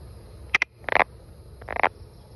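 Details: Brown frog in the wild giving a quick series of short, gravelly croaks in clustered bursts, some doubled, within about two seconds, against soft background hiss.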